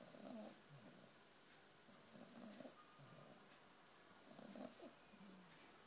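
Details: Puppy snoring while asleep: three rough, throaty snores spaced roughly two seconds apart, each ending in a brief airy hiss, with nothing else audible.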